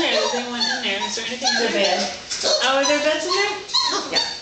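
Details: Great Dane puppies four weeks old, trying to climb into their kennel at bedtime, crying in loud wavering whines that slide up and down, several voices overlapping.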